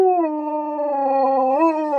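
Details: Husky giving a sustained howl, dropping in pitch at the start and then holding a low, steady tone with strong overtones, with a brief upward bend near the end of a two-second call.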